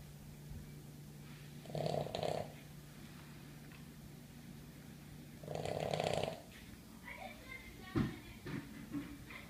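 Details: A sleeping Boston Terrier snores with harsh, rattling inhalations roughly every four seconds. A steady low hum runs underneath, with a few soft indoor knocks between breaths.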